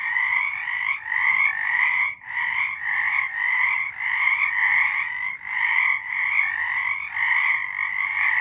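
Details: March 2023 nighttime frog song: layered rasping croaks blend into a continuous pulsing chorus, briefly faltering about every two to three seconds and swelling again, nothing else audible.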